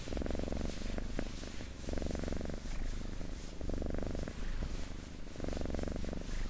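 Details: Domestic cat purring, recorded close up for ASMR: a steady low rumble that swells into stronger bursts roughly every two seconds with each breath, with soft rustling between.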